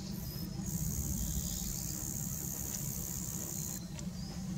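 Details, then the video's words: A Roesel's bush-cricket stridulates in Ravensroost wood, Wiltshire, giving a long, steady, high-pitched sizzling buzz over a low background rumble. "Roesel's Bush Cricket"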